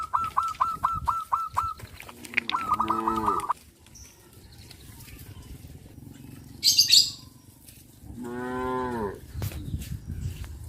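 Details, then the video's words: On the road to green pastures in the countryside, cows call to their friends. Two moos, one brief and one longer, follow a run of rapid clipped tones. A sharp high chirp sounds between them. "The sound of cows calling their friends on the road to the green pastures"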